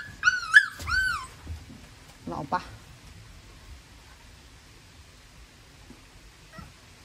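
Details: Staffordshire Bull Terrier puppy whimpering: a quick run of three or four high, arched whines in the first second, then softer yelps and handling noises, with quiet stretches afterward.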